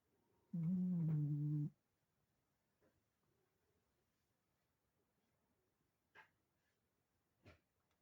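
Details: A sleeping dog gives one drawn-out, low, moaning whine of about a second with a steady wavering tone. Near silence follows, broken only by two faint short clicks later on.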